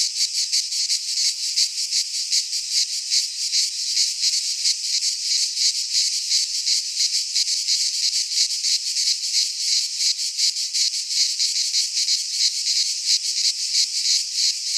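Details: Cicadas singing in midsummer in a Greek pine forest: a dense, continuous buzzing chorus of harsh high rasps, pulsing rapidly in a steady throb with no other sounds.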